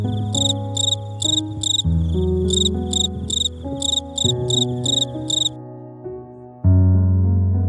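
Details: A cricket chirps in short, bright pulsed bursts made by its wings (stridulation), roughly three a second, over gentle background music.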